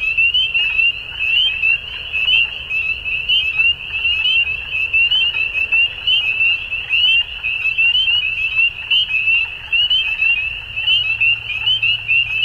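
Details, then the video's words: At dusk, numerous frogs keep up an unbroken, high-pitched pulsing chorus, rising and falling slightly in strength every few seconds; a faint low drone joins near the end. "Frogs At Dusk"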